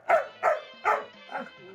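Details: Excited Labrador Retriever waiting for her dad to return home barks three times in quick succession, each bark short and punchy, followed by a softer fourth bark and faint background sounds.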